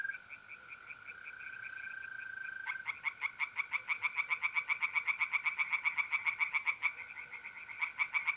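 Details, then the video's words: Tree frogs singing at night in a pond in north-east Italy in mid-April: a fast, even train of loud, sharp pulses, about four per second, over a steady, pure trilling tone from mole crickets and fainter distant frogs. "relaxing singing tree frogs in pond"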